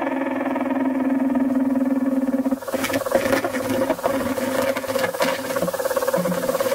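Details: Mating behaviour of the leafhopper Aphrodes makarovi: a smooth low humming tone for about two and a half seconds, giving way to irregular crackling pulses over a fainter continuing drone.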